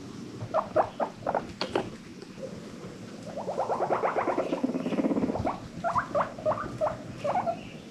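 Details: Happy wheeking from pet guinea pigs: short rising squeaks in small bursts, a stretch of low pulsed rumbling in the middle, then more quick upward squeaks near the end, indoors.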